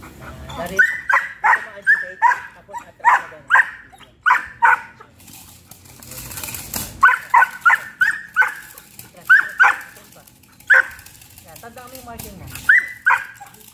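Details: Excited barking from Hunter, a young Belgian Malinois five months old, at bite work training: loud rapid barks in clustered bursts across fourteen seconds, broken by short pauses, a brief whine, and a handler's voice.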